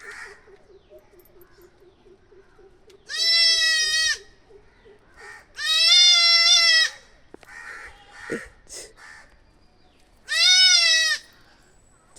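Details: Young goats give three loud, high, quavering bleats, each about a second long and a few seconds apart, as a puppy hears them for the first time.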